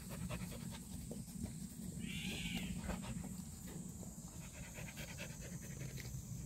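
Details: Black purebred Jindo breathing in fast, even pants, a hoarse repeated huff over low droning noise, with one short bright chirp rising and falling midway through.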